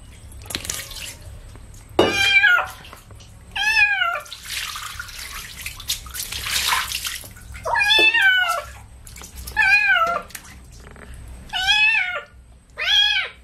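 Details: During a bath with baby shampoo, a kitten meows repeatedly, about seven plaintive arched calls roughly every one to two seconds, broken by a burst of running water in the middle.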